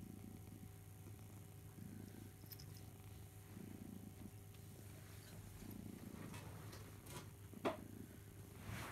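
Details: Pet house cat Barnaby suckling his teddy bear Boo, giving a low purr that swells in rough waves about every two seconds, with a brief sharp click near the end.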